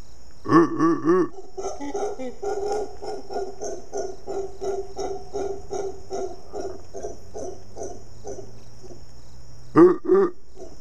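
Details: Howler monkeys calling in the morning, waking people just in time for surfing. Deep, throaty grunting roars rise and fall in a rhythmic series, with loud bursts at the start and again near the end. A steady high insect whine runs underneath.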